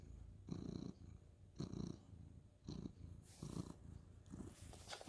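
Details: Orange tabby tomcat petted at night before lights out, 2/11/2023, purring steadily: deep throaty rumble pulsing roughly once per second, with brief rustling of bedding or fur near the end.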